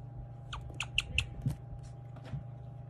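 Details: A guinea pig gives a run of brief, sharp, high-pitched squeaky chirps, spaced irregularly, over a steady low electrical hum; chirping is a rare guinea pig sound often mistaken for a bird.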